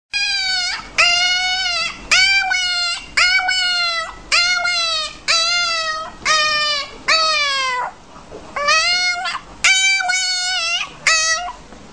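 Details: Dog whose voice closely resembles calling out a person's name; eleven tonal, yelping calls over twelve seconds, about one per second, each rising then sliding downward, some in quick pairs, with a clean quiet background.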